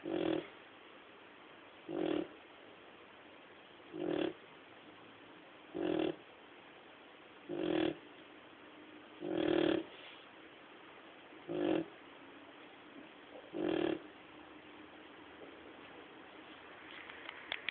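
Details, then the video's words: Snoring from a male pet dog, asleep and unable to stop: low, rough, buzzing snores repeated steadily about every two seconds, eight in a row, in a quiet room. "My snoring dog"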